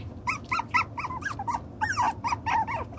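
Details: Six-week-old chocolate brown Toy Poodle puppies at play, sorting out their pecking order. A steady stream of short, high yelps and whiny squeals comes about twice a second, each bright and ringing with overtones, some sliding down in pitch.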